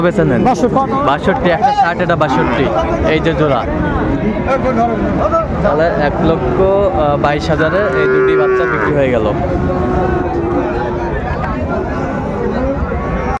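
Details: Bull calves of Friesian and cross breeds traded at Dinajpur's Raniganj market on 26 December 2024; dense human chatter dominates, broken by a clear sustained moo near the middle and fainter lowing around it.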